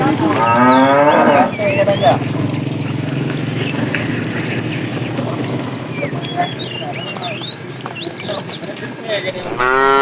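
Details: Herd of tame cows wandering far to find food; a cow's loud moo opens, then comes a long stretch of low rumbling background and bird chirps, then another moo begins at the close.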